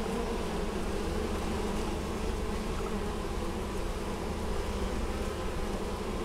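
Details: Honey bees working intensively, carrying honeydew at an apiary in Moszczanka, Opole Voivodeship, Poland, on 19 August 2013; a dense, steady low hum of many bees fills the clip without pause.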